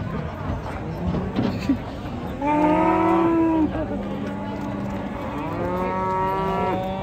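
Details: A cow coming down off a truck during rain lows loudly. One strong sustained moo lasts about a second, followed by longer, wavering lowing, with voices in the background.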